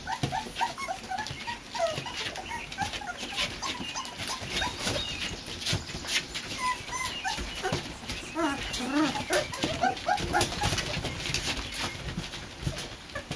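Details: A litter of four-week-old Boxer puppies on their first outing in a porch pen gives a steady stream of thin, high whimpers and squeaks, mixed with human voices and constant rustling.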